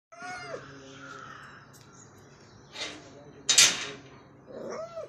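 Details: Cat out on a morning walk gives two short arched meows, one near the start and one at the end, with scuffing, rustling bursts in between.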